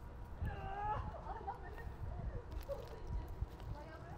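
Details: Stray cats being fed outdoors; a drawn-out, arching harmonic meow opens the moment, followed by shorter wavering mews over steady low street rumble and background murmur.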